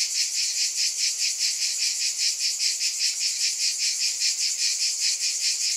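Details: A shrill, continuous cicada drone with a regular pulse of roughly two to three beats per second, holding an even loudness and with no other animals or noise heard.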